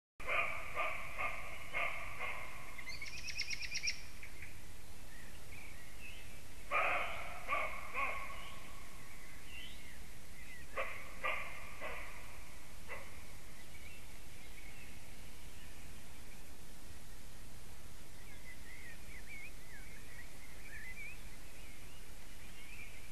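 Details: Roe deer (Capreolus capreolus) give hoarse, harsh barks in short bursts over a steady low hum, at Zivjērglis, Latvia, on 29 April 2017 at 20:42 in the evening.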